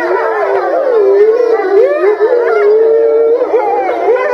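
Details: Several grey wolves at Tama Zoological Park, filmed November 2013, start howling all at once, long wavering tones overlapping in a steady chorus.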